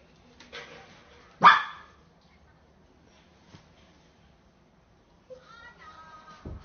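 A young Samoyed lets out one sharp, loud bark followed after a pause by thin, wavering whines with a rising, pleading tone. It is asking to have the door opened so it can go relieve itself.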